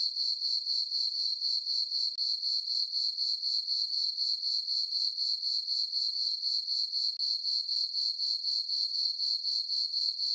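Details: Crickets chirping on a summer night in a farm meadow under a full moon: a steady, high, ringing trill pulsing about four times per second, evenly spaced and continuous, with no other sounds.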